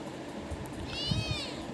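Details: Kitten talking back to its owner: a single drawn-out, arched meow with rich harmonics, rising then falling over about half a second, with low background rumble and a woman's voice speaking Tamil around it.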